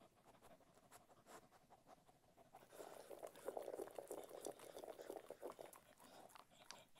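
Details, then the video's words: Cocker Spaniel eating food: quiet start, then from about three seconds a dense run of crunchy, irregular chewing and smacking clicks, several per second, with soft wet mouth noises throughout. "Cocker Spaniel Eating Food"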